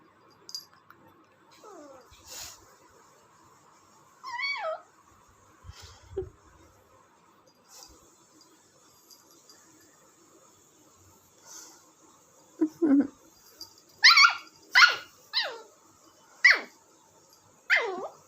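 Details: Indian Spitz puppy at play making squeaky, wavering whines, then a burst of sharp high yips and yelps in the final five seconds, with quiet gaps between sounds and soft background noise.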